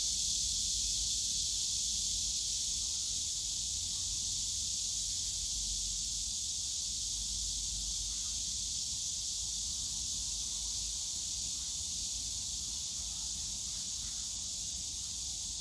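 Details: In the bamboo forest of Yongsan Family Park on a summer day, cicadas keep up a continuous high, even buzz that eases slightly in loudness, with soft low park rumble underneath.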